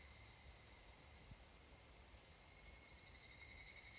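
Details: Evening cicada, Tanna japonensis, in a Japanese mountain forest at summer dusk: a sustained high metallic ring that breaks into rapidly repeated pulsed notes near the end, growing louder, with a soft low thump early on.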